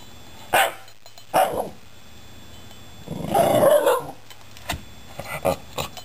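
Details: Indoors, the Shiba Inu Patrick "talks" to two rescued cats with a pair of short yips followed by a longer, warbling grumble, then scattered clicks and small knocks in a quiet room.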